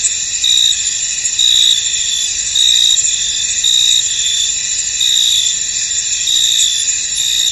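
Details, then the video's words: Crickets chirping in a fog-covered field: a continuous high-pitched ringing chorus with short bright pulses repeating roughly every second, steady throughout, without other animals or people audible. "Tranquil Cricket Sounds In An Misty Field"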